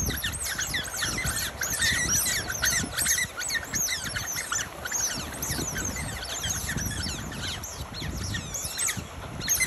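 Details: Two wild Smooth-coated Otter families of six battle on a northern Penang island beach, Malaysia, on 28 June 2021. Dense, overlapping high squeaks and chirps pour out nonstop, many callers at once, over a low rumble of surf and wind.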